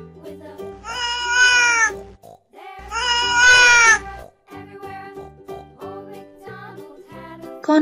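A domestic cat gives two drawn-out, wavering meows, followed by light background music.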